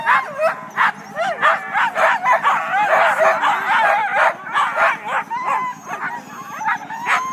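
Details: Team of Siberian huskies waiting just before the start of a sled dog race on February 9, north of Weed, California, in Klamath National Forest; dense overlapping yips, sharp barks and wavering howls in rapid excited bursts, several dogs at once.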